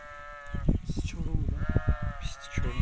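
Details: Sustained bleats from Hissar rams open and close the recording, with a flat, drawn-out tone. Human talking and handling noises fill the middle.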